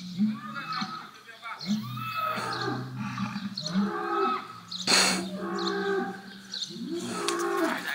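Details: Stressed Holstein bull at an electric fence near a Brahman bull in a paddock, Botucatu, São Paulo, Brazil, 6 November 2021: repeated low, drawn-out moans and grunting moos with a harsher noisy burst midway.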